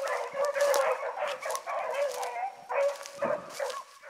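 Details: Hound pups running like seasoned hounds in the morning, with Ringo, Mingo and Choco among the pack, give loud bawling bays and yelps, multiple dogs overlapping, with bursts every half second or so and a short lull midway.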